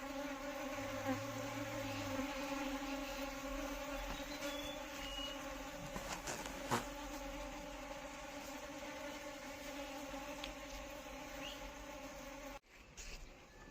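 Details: Asian honey bee, Apis cerana indica, giving a steady droning buzz with a low fundamental and clear evenly spaced overtones, holding level for about twelve seconds before cutting off abruptly, with a few faint clicks and background rumble.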